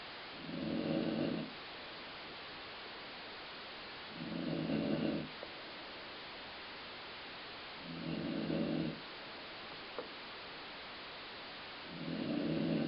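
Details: Pet dog asleep and snoring, likened to stomach growling, with four low, raspy, rumbling snores evenly spaced about every four seconds and a hushed room in between.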